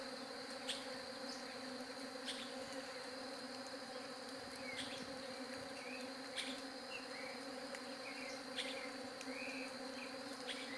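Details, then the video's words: Bee buzzing as a steady, even hum with stacked tones that never stops, while short chirping bird notes and sharp clicks break in now and then. "SOM DE ABELHA"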